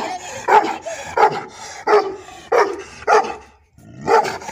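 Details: Azerbaijani shepherd dog, or Gurbasar, giving five loud, rough barks within a few seconds, spaced unevenly with brief lulls between bursts.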